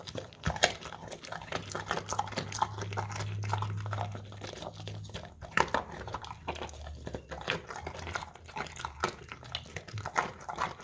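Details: An English Cream Golden Retriever eating crunchy carrots from a bowl indoors, recorded on a Samsung Galaxy S10e: loud, irregular crunches and wet chewing, bites coming in quick bursts with brief pauses, plus a faint low hum.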